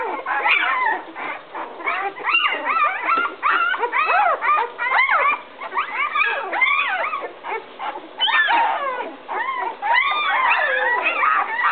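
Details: Newborn litter, 11 days old, of Fiona and Max, whimpering while looking for their mother who left the whelping box; many short arched squeaks and longer whines overlapping in bursts.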